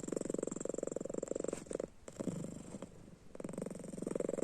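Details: Domestic cat snoring in its sleep with eyes open, indoors: steady fast rattling pulses for about one and a half seconds, a softer quieter breath, then the buzzy rattle resumes.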